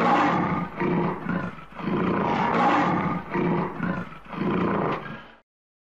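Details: Lion roaring in a series of five deep, rasping bursts over about five seconds, each swelling and fading with short breaths between, then silence.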